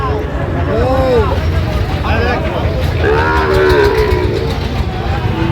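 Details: Sahiwal bull calves at a crowded cattle market in Sylhet, Bangladesh, 26 September 2025, during buying. Two clear moos, each rising then falling, about two seconds apart, over constant chatter and vehicle rumble.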